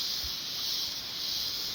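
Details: Cicadas fill the air with a steady, high, hissing buzz that never breaks, winter cicadas singing high in the trees of mountain coffee plantations.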